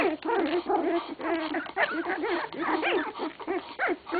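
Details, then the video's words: English Cocker Spaniel pups at 16 days old keep up a dense, steady stream of whiny, undulating squeals. Several voices overlap, some cries bending up and down in pitch, with a few sharper yips near the end. "English Cocker spaniel puppies - 16 days old"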